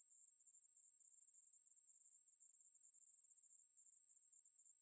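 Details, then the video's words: Maebuli, a conehead katydid, producing one continuous shrill buzz at a constant pitch and loudness from start to finish, in a quiet setting with nothing else audible. "매부리, 1번 듣기, 곤충소리"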